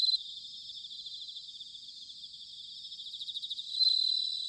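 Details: Autumn bell cricket song from Sanuki, Chiba Prefecture, Japan, captured with a ZOOM H6 or TASCAM DR-05X; a soft high pulsing trill that grows into a bright, louder ringing tone near the end over a continuous insect chorus.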